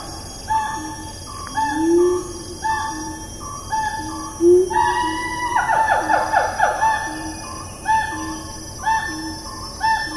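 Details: Siamang vocalizing in rainforest at Taman Negara National Park, Malaysia, 04.04.2019: repeated clear mid-pitched notes, two low rising hoots, then a rapid rattling run of descending whoops before the steady notes resume, with insect buzz throughout.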